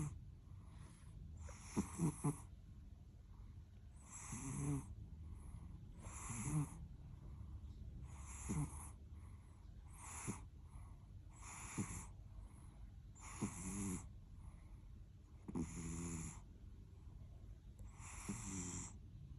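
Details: Sleeping domestic cat snoring: a steady series of raspy, breathy snores about every two seconds, each with a low rattling rumble, over a quiet indoor background.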